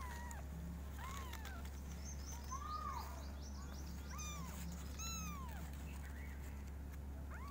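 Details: Five kittens meow very loudly in different styles, with high, arching cries that rise and fall and overlap one another.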